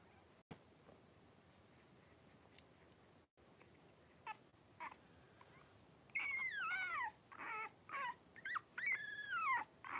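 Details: A litter of five blenheim Cavalier King Charles Spaniel puppies, three weeks old, plays in an indoor pen; after quiet rustling, a puppy lets out a run of high, falling whimpers and squeals, several in quick succession.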